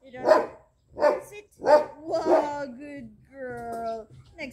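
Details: Two-month-old jet black Belgian Malinois named Lucy in training gives three punchy barks about a second apart, then a woman's voice praising her overlaps and carries on after the barking stops.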